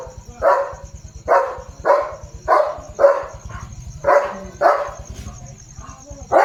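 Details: German Shepherd Leo guarding his area on a farm in the evening, barking fiercely and jumping; about nine forceful barks come in a steady series every half second or so, over a constant low throbbing rumble.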